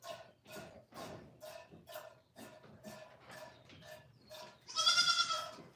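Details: A goat on The Willful Goat Farm & Home makes a quick series of short, soft nasal sounds, about three a second, then one loud, strained bleat at the end.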